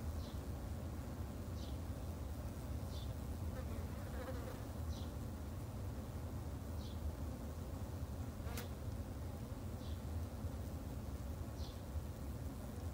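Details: Japanese honey bees kept in a garden hive by a beginner beekeeper of three months; a dense, low, steady hum fills the recording, with faint high chirps repeating roughly every second and a half above it.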